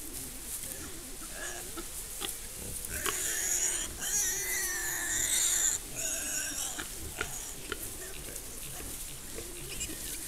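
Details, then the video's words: Nursing wild boar sows and young caught by a camera trap in the Gran Sasso park's Laga mountains, Italy: loud, strained, harmonic squeals bunched between three and six seconds, with quick grunts and rustling before and after. "Femmine di cinghiale che allattano i cuccioli"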